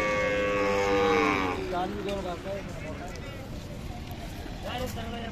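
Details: Khillar cattle at the Sangola cattle market, Solapur district, 28 April 2024: a single moo that starts strong and slides downward before fading, followed by market chatter and background noise.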